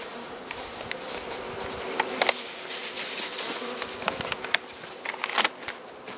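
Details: Carniolan honey bees, with their queen, in a hive fed with the Mountain Camp method, southern Finland, March 16 2017, +3 C; continuous low buzzing hum under frequent sharp ticks and rustling from handling.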